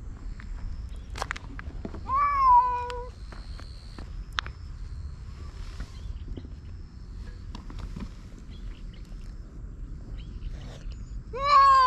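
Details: Cat fight as a silver tabby-and-white cat chases an orange tabby intruder from its territory: a short wavering yowl near the start and another rising howl at the very end, with faint outdoor rustling and footsteps between.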